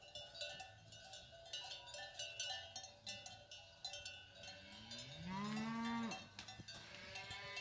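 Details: Cows with calves descending from the hills amid a steady clatter of many cowbells; one drawn-out rising moo near the end, with a fainter call after it.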